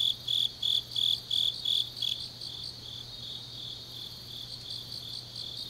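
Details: Grass insects calling on a late autumn night in Changnyeong, South Korea; a near singer gives about seven sharp high pulses in two seconds and then stops, leaving a quieter shimmering insect trill and faint low hum.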